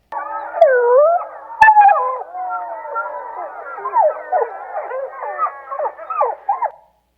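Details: A wild gray wolf of Yellowstone's Rescue Creek pack, wearing a bio-logger, gives a yip-yap chorus call recorded up close: quick yelping notes bending up and down in a rapid jumble.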